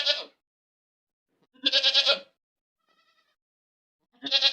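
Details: ['Goat screaming loudly: three harsh, pulsing bleats in quick succession. A very faint, thin call is heard in the gap before the last one.']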